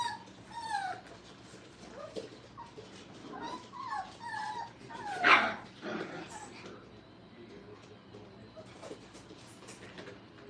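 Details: Brittany puppies, five weeks old, romp in a new area of a training kennel: a run of squeaky whines and yips in the first four seconds, one sharp loud clatter, then quieter shuffling with a human voice nearby.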